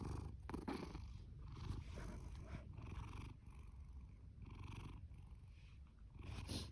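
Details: Fasu, a male orange tabby cat born October 2019 and adopted from a rescue shelter in July 2020, snores and purrs loudly; a dense low rumble runs throughout with irregular breathy surges, strongest near the start and end.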